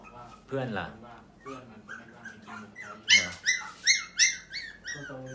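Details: Pomeranian puppies from a purebred breeding farm in Thailand, fluffy and round, ready for new homes: after low talking at the start, a run of high, falling whimpering yips comes about every half second.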